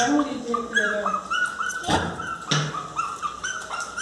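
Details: Miniature Pinscher named Teco crying loudly to be let into the house: high whimpers sliding down and up, overlapping yelps repeated in quick series, a person's voice in between.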